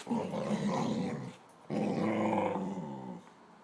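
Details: Tabasco Jones, a dog 'talking' to its owner indoors, gives two rough, rumbling growl-like vocal bursts of about one and a half seconds each, separated by a short pause.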